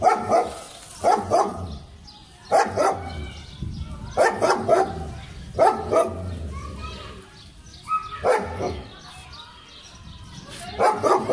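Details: German Shepherd dog in Pakistan, filmed while playing, giving short harmonic barks in pairs and clusters, roughly every one to two seconds, with quieter gaps and faint background murmur between bursts.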